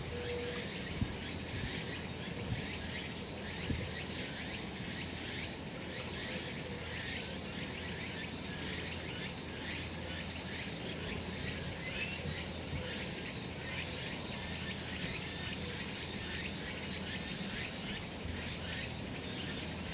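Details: Steady cicada chorus from a summer mountain in full sun: a dense, shrill high buzz that pulses rapidly without pause, a couple of soft knocks early on, and a low even background hum.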